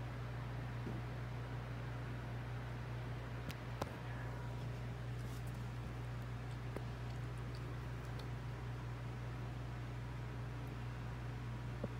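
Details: Steady fan-like hum and hiss in a small indoor room with occasional faint rustles and clicks, but no animal calls.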